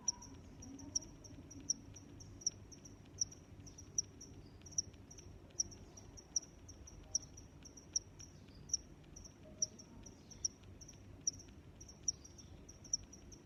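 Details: Regular high-pitched cricket chirps, evenly paced at nearly one every 0.75 seconds throughout, layered over weaker chirps from other crickets and a gentle low-frequency background.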